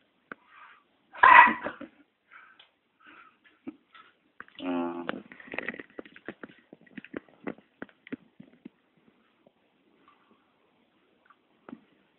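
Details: Chihuahua puppies Ruby and Erick playing indoors on 26 September: a sharp high squeal, then a low buzzy growl about a second long, followed by scattered soft clicks, paw scuffles and faint human voice.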